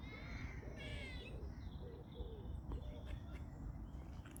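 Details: Squirrels in a local park giving a burst of nasal, harmonic-rich calls over the first second, stacked and wavering, then quieter scattered notes, with a steady low outdoor rumble throughout.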